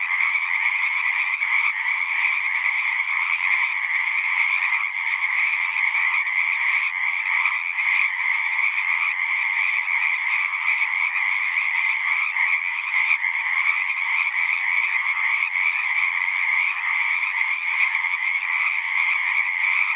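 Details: Frogs singing in a thick unbroken chorus, overlapping croaks merging into a steady buzzing wall of sound with two bright pitch bands, level constant from start to end.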